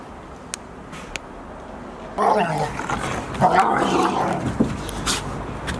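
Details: Golden Retriever family at Aine village on 28 October 2018, the mother with her half-year-old puppies Asahi, Owl, Roi and Chiwa, now nearly her size. After faint clicks, a rough, throaty run of growly barking swells for about two seconds, then scuffling.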